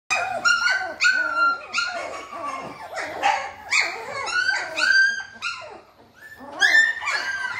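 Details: Doberman puppies offered for sale in Noida, India: a rapid series of high, harmonic-rich yelps and short barks, roughly a dozen over seven seconds, some sliding up and down, heard indoors in a small room.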